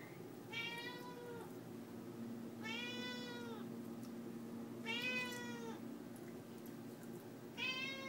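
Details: Leah, a house cat, keeps meowing for the chicken on the counter: four insistent, bright meows roughly every two seconds, each a rounded rise and fall, above a steady background hum.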